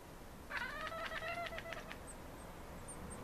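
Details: Maine Coon cats chattering at city birds: a rapid run of clipped, harmonic cat notes for about one and a half seconds, roughly four per second, followed by faint high bird chirps over a low background hum.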